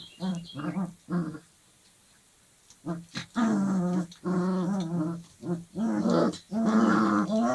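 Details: Dogo Argentino puppies, 25 days old, playing together: bursts of small growls and squeaky whimpers, short at first, then longer overlapping grumbling yelps with a brief pause in between.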